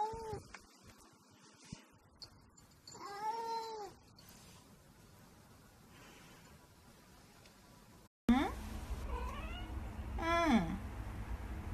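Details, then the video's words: Cats chatting; two separate arched, wavering meows, the second following a sudden cut to louder, noisier sound with a descending drawn-out call near the end. "Cats of chatting"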